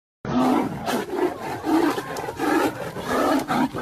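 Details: A white tiger and a Bengal tiger fighting, with deep, rasping growls and snarls rising and falling in rough, overlapping bursts.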